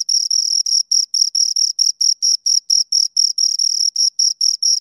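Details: A pair of crickets keeps up rapid, piercing chirps, short pulses about four per second with occasional longer strings, and no background noise.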